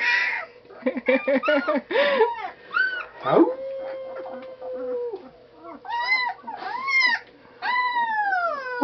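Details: Taught to howl indoors, Blue the dog answers a run of a person's "Howl?" calls with one swooping-up, then steady howl lasting nearly two seconds, followed by more of the person's prompting.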